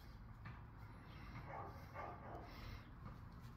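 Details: Big-voiced dog next door barking loudly, startling a listening dog; several distant muffled barks spaced about half a second apart over low background hum.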